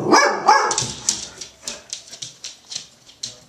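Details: Female Golden Retriever barking while muffled by her blanket, seemingly very agitated: two loud, harsh barks open the clip, followed by a quick run of softer, smothered bursts, roughly three per second, fading in and out.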